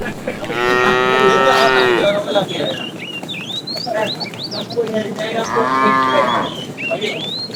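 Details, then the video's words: Afternoon herd of tame cows on the move, a fat cow calling out to a female: two drawn-out moos, the first loud and about one and a half seconds long, the second softer, while birds chirp busily in between. "The funny sound of a fat cow calling the female"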